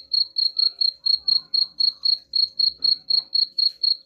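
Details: Steady, high-pitched cricket chirps, a sound said to chase rats off, pulsing evenly about four times per second throughout with no other clear sounds.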